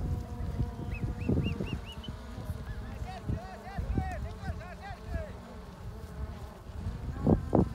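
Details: Vicuñas, rounded up during a chaccu in the Peruvian Andes, give many overlapping high, arched whistling calls over a low rumble of wind and human voices.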